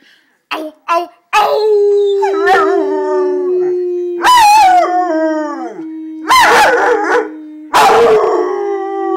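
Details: A seven-month-old pet Rottweiler, said to be mad at its owner, howls in bursts: several loud wavering howls about two seconds apart over a continuous steady lower droning tone, with brief sharp yips at the start.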